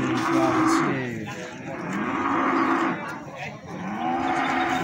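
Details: Loud, drawn-out lowing from feeder cattle at the Plaosan livestock market, Magetan: two or three long moos with a falling tail, backed by faint crowd noise.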